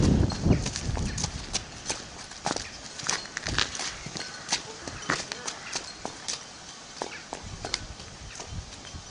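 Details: Hooves of a four-year-old Clydesdale mare, Arradoul Aria, under saddle during early schooling. Crisp clip-clop strikes come irregularly, about two per second, over low rumbling noise that is loudest at the start.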